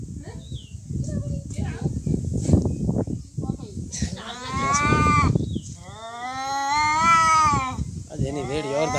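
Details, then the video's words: Cats in a real fight give drawn-out, wavering yowls that rise and bend in pitch, building into a long sustained wail toward the end, with rustling, thumping and voices underneath. "Real cat fight |Fighting cats|"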